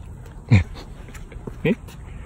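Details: Beotji, a cat getting its voice back after having lost it, utters two brief meows with a bending pitch, roughly a second apart, over faint low background hum and soft rustling.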